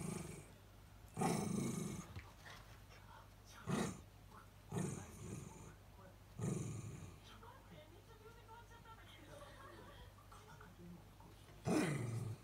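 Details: Two Miniature Dachshunds fuss with low, phlegmy grumbling growls and whines, calling their owner back from the next room; one cannot whine through its nose, so the growls are not anger.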